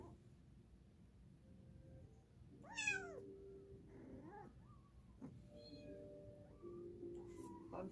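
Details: A single sharp, downward-sliding cat meow stands out near the middle, followed by a few fainter short mews and steady low tones in a quiet room.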